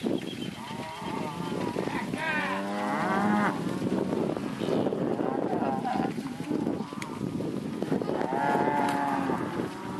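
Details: Lot of Angus and Red Angus heifers and cows, with a few Jerseys and crosses, lowing repeatedly; overlapping drawn-out moos from several animals, some rising and falling in pitch, above constant herd noise.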